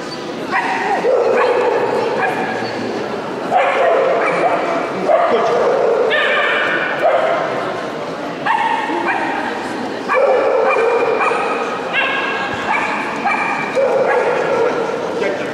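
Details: Female Miniature Schnauzer Jacoqueline from Kharkiv, intermediate class, in the Schnauzer specialty ring at the CAC KSU dog show in Luhansk, 22 May 2010; sharp, high yipping barks come in bursts every second or two over steady crowd murmur and talk.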